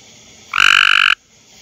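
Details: A male Cope's gray treefrog (Hyla chrysoscelis) calling in a backyard on a humid, muggy night gives a fast, harsh, buzzy trill about half a second long.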